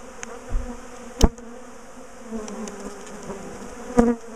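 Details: Top bar hive bees as their big colony is split and relocated; low steady hum of many bees, interrupted by two loud sharp knocks and a soft thump.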